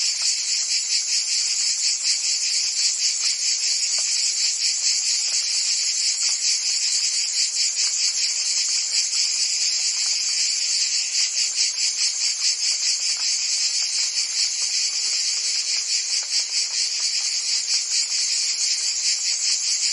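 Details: Summer chorus of cicadas in Provence, France, a steady shrill rasping drone with rapid regular pulses throughout, unbroken and even, with nothing else clearly heard.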